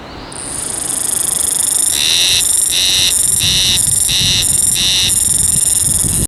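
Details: A wild Haruzemi cicada vibrating its body to sing: a shrill buzz rising in loudness over two seconds, then settling into regular pulsed throbs about every half second, continuing to the end.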